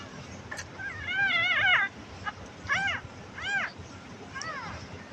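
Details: Domestic kitten in distress without its mother, in a farming village, being coaxed to drink: one long wavering, strained meow, then three shorter rising-and-falling meows about a second apart, with faint background noise between calls.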